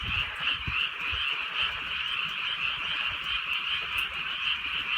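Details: A frog chorus on a drizzly countryside night in Korea: overlapping trilled croaks stacked in two steady bands, pulsing continuously, with soft low rain and thumps underneath.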